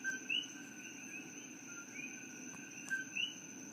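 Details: Invasive coqui frogs, originally from Puerto Rico, calling at night in Hilo, Hawaii. Several overlap: a short low note followed by a sharply rising whistled note, birdlike. A steady high-pitched drone hums continuously beneath them.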